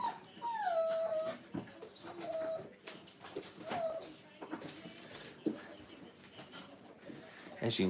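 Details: Five-week-old Brittany puppies being crate trained in a kennel whimper with high, thin descending whines, several in the first four seconds, then softer clatter and rustling while a person speaks nearby.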